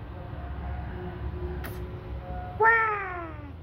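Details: A house cat lets out one sharp meow near the end, starting high and sliding down while fading, after a brief soft click; faint steady room hum in the background.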